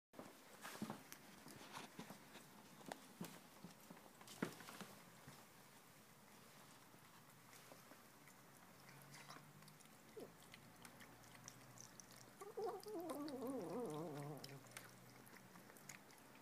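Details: Female Tonkinese kitten making 'human' noises while she eats indoors: sharp wet chewing clicks and crunches scattered throughout, then a brief wavering murmured vocal near the end.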